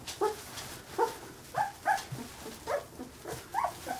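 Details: Carolina Dog puppies, 15 days old, giving short rising-falling whimpering yelps about twice a second, each a brief high squeak with bright overtones, in a quiet indoor setting.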